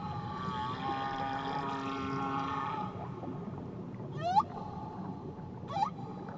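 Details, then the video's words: A whale sings off Tahiti: long, level tonal moans fade out, followed by two short, fast-rising whoops a second and a half apart, with a steady hum underneath. "Nature Sounds Only Whales & Beaches"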